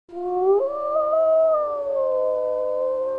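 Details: A gray wolf (Canis lupus) in the jungle gives a long, smooth howl that lifts in pitch early, then holds a steady, mournful tone.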